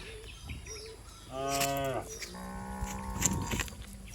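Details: Cattle of a herd bounding down a green village hillside. Two drawn-out moos, the second longer and flatter, follow faint chirps of small birds earlier in the recording.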